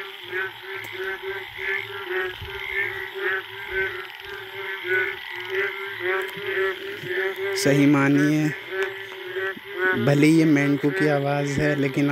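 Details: Wild Indian frogs chorusing late at night in the forest after the first rain, giving mating calls: steady rapid rattling croaks overlapping from many callers, with louder harsh grating bursts near the end.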